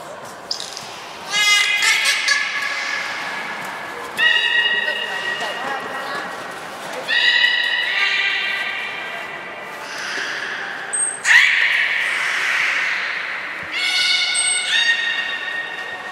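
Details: Beluga named Nana during a training session at Port of Nagoya Public Aquarium, 13 April 2019: a series of bright, harmonic whistles and squeals, some flat and some rising, recurring every few seconds with short gaps, a sharp high chirp between them.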